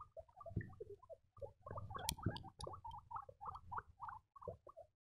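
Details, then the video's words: Young guinea pigs giving dense, overlapping squeaky chirps, some rising and falling, with steady low rustling and scuffling below and a sharp click near the middle. "piepende baby cavia's geluiden"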